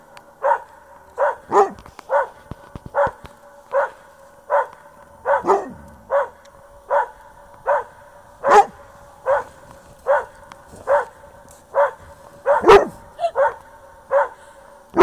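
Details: Dog barking at its own echo, giving short, even barks roughly every 0.7 seconds across fifteen seconds, with a few louder, sharper barks mixed in.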